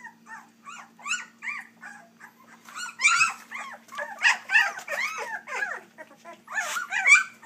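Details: Whining chorus from three-week-old pups of Dixie and Colby: quiet, evenly spaced squeaks build into louder, crowded overlapping wails in the second half, a faint steady hum beneath.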